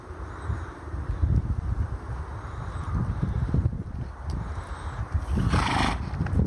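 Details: Registered Quarter Horse pleasure gelding offered at a horse sale; a drawn-out whinny with a steady harmonic band under low thumps and shuffling, then a short broadband rush of noise near the end.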